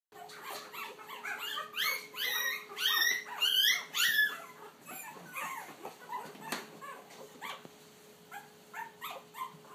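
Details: Puppies finding their voice, several young dogs howling together indoors: wavering, rising and falling high-pitched howls and yelps overlapping, loudest in the first four seconds, then shorter quieter yips with a steady faint hum underneath.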